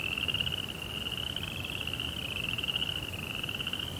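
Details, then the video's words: Crickets singing at night in a tranquil Japanese garden, an unbroken piercing trill at a steady high pitch with a fainter lower overtone, over light low-frequency background noise. "2 Hours of Serenity with Cricket Sounds"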